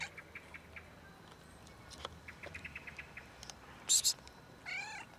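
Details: Blackish cat eating calmly in a park. A run of soft ticking clicks and a loud hissing burst come before one brief, nasal meow with stacked tones at the very end.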